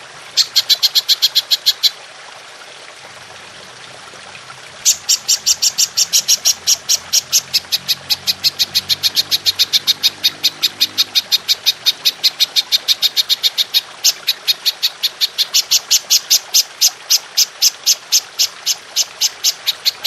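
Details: Golden grasshopper with long shooting bursts, used to train songbirds: a short series of sharp high pulses, a pause of about three seconds, then a long rapid train of steady ringing clicks.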